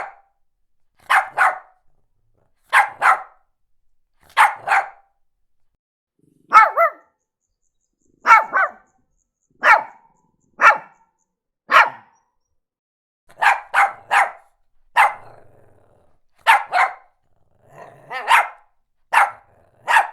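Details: Shih Tzu. A small dog, a Shih Tzu, gives bright, high-pitched barks, some alone and some doubled in rapid pairs. The yaps come steadily, roughly one burst each second, with quiet gaps between them.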